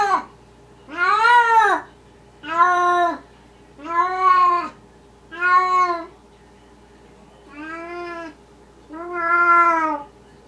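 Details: Maine Coon cat named Esmerelda talking in the middle of the night, recorded indoors: six drawn-out, harmonic meows, each rising then falling, spaced about every one and a half seconds, with a faint steady hum behind.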